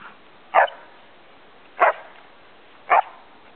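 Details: Samoyed Gomaru playfully teasing its owner at the Shobudani-ike Park campsite: three short, sharp barks spaced a little over a second apart over a quiet background.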